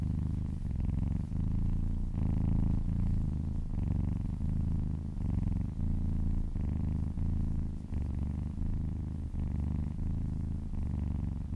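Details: Contented little kitten purring under a gentle massage, licking a person's arm; loud, deep vibrating purr in regular breath-linked bursts of about a second, with short quieter breaks between.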